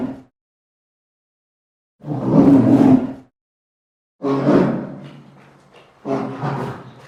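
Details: Polar bear giving three harsh, growling roars, the later two trailing off more slowly, with silence between them.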